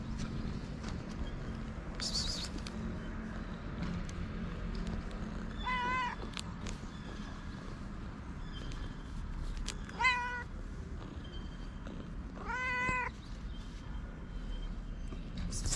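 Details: Two hungry stray cats on a street in Morocco. Three separate meows, each a short harmonic cry with a wavering pitch, come several seconds apart over a quiet outdoor background with faint low rumble.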